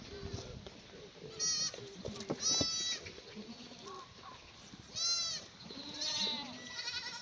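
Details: Black goats at a free-range, antibiotic-free farm on the slopes of Mucheoksan in Sangdong-myeon, Gimhae, South Gyeongnam, on a clear Tuesday morning at feeding time, 28 May 2019; several high, wavering bleats rise and fall over a murmur of farm noise.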